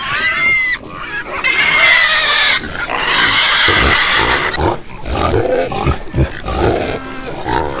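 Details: Pigs squealing loudly in long, harsh, sustained cries, one after another, then settling into rougher grunts and snorts near the end.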